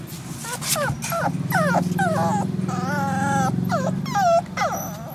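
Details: Terrier cross puppy in Malaysia, later lost to a virus infection, giving a string of high, falling, whining whimpers and yelps, several drawn-out with wavering pitch, over a steady low mechanical hum.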